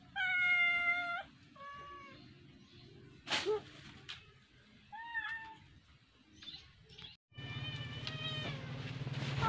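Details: Cat playing with a fish meows repeatedly, long bright wavering calls at the start and end, with a short dip-and-rise call in between, mixed with clattering knocks and a loud noisy burst near the finish.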